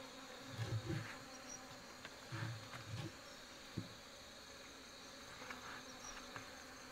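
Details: In a quiet forest where honey bees are kept in a rotten tree trunk, low droning buzzes swell and fade as individual bees fly close in brief passes, over a faint, even background hum.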